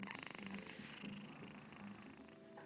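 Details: Domestic cat asleep on a person's chest, mouth open, purring loudly and snoring at once: a fast, rumbling pulsed purr that fades slightly, with faint room noise.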